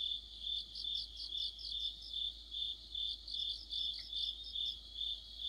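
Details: Crickets and other insects in a deepening-autumn chorus by a streetlight: a dense, high, ringing trill that swells and fades about twice a second, steady throughout, over a faint low hum.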